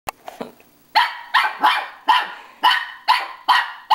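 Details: Pippin, a pet dog, barking at his own reflection in a mirror: after a few faint soft noises, a run of about eight sharp, bright barks starts near one second, spaced roughly every half second.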